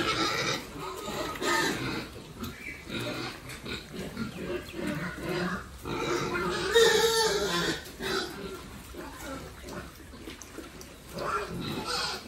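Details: A group of farm-raised pigs kept for sale makes rapid, rasping grunts and squeals that rise and fall irregularly, with a faint human voice now and then in the background.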